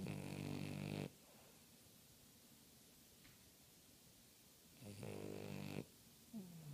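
A French Bulldog snores with loud, rattling, deep breaths separated by long quiet pauses.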